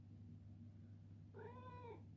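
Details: Indoors, a male Ragdoll cat asks for his morning treat with a single clear, drawn-out meow of about half a second, level then slightly falling, against a constant low electrical hum.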